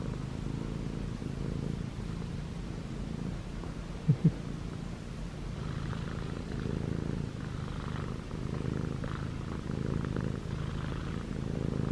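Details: Male Munchkin short-legged cat, six months old, purring and kneading on pajamas; even low vibrating purr throughout with a brief sharp click midway and soft cloth rustle.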